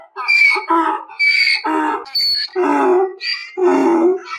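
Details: Short run of donkey bray, a hee-haw seesaw where shrill whistling notes trade places with grating low honks roughly once a second, loud and close, no background noise.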